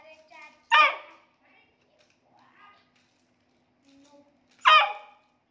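A Beagle puppy gives two sharp, high-pitched barks about four seconds apart, with soft voices between.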